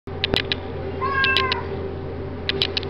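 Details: Young, lively Domestic Shorthair cat at an animal shelter awaiting adoption, February 2011, gives one drawn-out meow lasting about half a second, slightly falling in pitch, over a steady electrical hum with scattered clicking and tapping noises.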